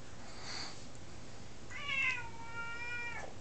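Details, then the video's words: Nine-month-old female F2 Savannah cat indoors, talkative and crying for attention; one long drawn-out meow, rising slightly then held level before dropping off, after a soft brief chirp. "F2 Savannah Cat "Mz.Meowz" Meowing and going all crazy for attention"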